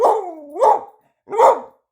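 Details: Sadie the "talking" dog makes a wavering, falling howl-like whine that rises into a bark, followed after a short gap by one more loud bark.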